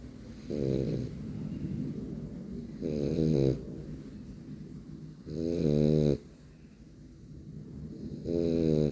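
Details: French Bulldog snoring while asleep indoors: four rough, rattling snores about every two and a half seconds, each with a buzzy nasal edge, quiet breathing between.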